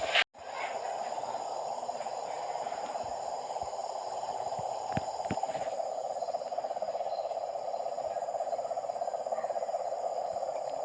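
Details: A dense chorus of frogs near a house fills the night with a steady, buzzy, mid-pitched drone.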